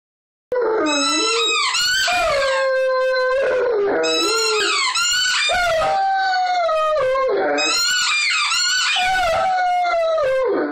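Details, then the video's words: Great Dane puppy, male, about 8 months old, indoors, singing along with a squeaky toy: long wavering howls sliding up and down, rich in overtones, in three drawn-out bouts with brief breaks, toy squeaks mixed in. "sign along"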